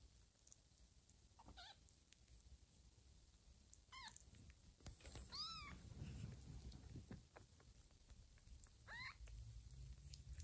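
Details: Mother cat Lima checking on her kittens as they crawl and sleep on a person's tummy; about four short, high, bending mews spaced across the clip over soft rustling and shifting sounds.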